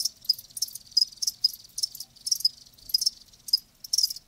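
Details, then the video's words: Live crickets produce bright, high-pitched chirping bursts, some doubled, coming every half second or so in a lively uneven rhythm, no other sounds present. "Live Crickets 60min "Natural Sound""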